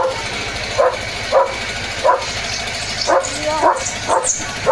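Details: German Shepherd named Leo keeps barking in the evening rain with road work under way: roughly eight clipped barks, some paired, others spaced about half a second apart, over a constant rain-like background hiss.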